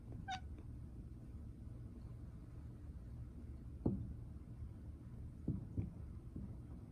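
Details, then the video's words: Domestic cat making a strange sound on seeing a bird: a brief high-pitched chirp near the start, then short, soft, scattered chirps over a steady low indoor hum. "고양이가 새를 봤을때 내는 이상한 소리"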